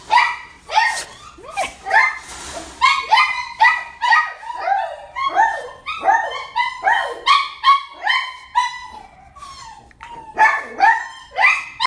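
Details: Female Chihuahua, one year old, ivory and grey coat, barking nonstop in rapid high-pitched yaps mixed with short whimpering whines, roughly two or three yaps per second throughout.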